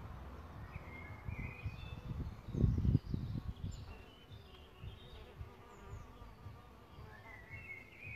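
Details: Solitary bees nesting in a bug hotel: a low, steady humming buzz with faint overtones runs throughout, over low rumbling thumps, while small birds chirp in short high notes in the background.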